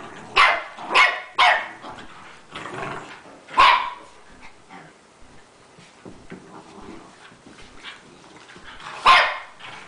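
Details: Rat Terriers, several dogs including littermates, playing together indoors; sharp barks come in a quick burst of three near the start, another around four seconds, then a last loud bark near the end, with softer scuffling and growly sounds between.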